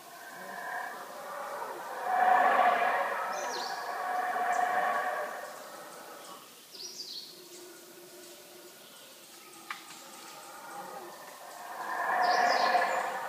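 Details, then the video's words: Howler monkeys calling at the Yaxchilan ruins early in the day: hoarse roaring swells that rise and fall twice, with a quieter middle stretch and faint bird chirps above. "Howler Monkeys at Yaxchilan"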